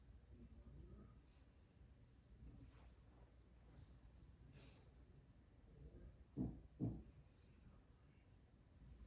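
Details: Louie, a sleeping dog, snoring: a long stretch of soft, low breathing rumble, then two short, loud, snorting snores close together near the end.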